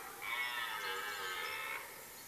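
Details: Rutting red deer stag in a forest in Mecklenburg-Vorpommern, Germany, late September during the rut: one drawn-out harmonic roar of about one and a half seconds, steady and fairly level, over a quiet background.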